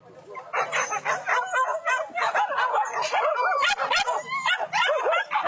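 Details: Trained hunting dogs in a wild boar hunt at rice fields in West Sumatra, Indonesia, a Minang tradition to rid farms of pig pests; many dogs bark and yelp together in dense, overlapping, excited bursts.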